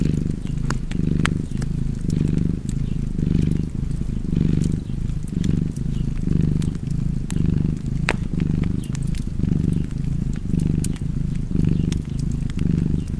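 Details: A house cat purrs steadily near a fire, its low rumble swelling and easing in a regular breathing rhythm close to once per second, accompanied by frequent crackling and popping of the flames.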